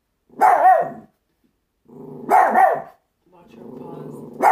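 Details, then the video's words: A pet Chihuahua barking at nothing until she falls off a table indoors; two sharp, yappy bark bursts about two seconds apart, each followed by a lower growly whine, ending on another bark. "Barking (At Nothing)"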